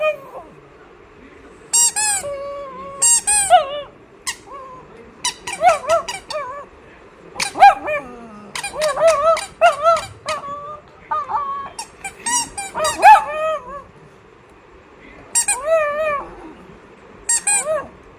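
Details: A pet dog makes cute sounds: a long series of short, high, squeaky whimpers and yelps in bursts, some rising then falling, separated by brief quiet gaps. Faint human voice in places.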